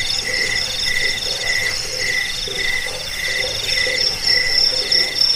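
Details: Cricket chirping, offered as a sleep aid, a rat repellent and a model for training cage birds. Short, bright chirps repeat about twice a second in an even pulse, over a continuous high ringing trill from other crickets.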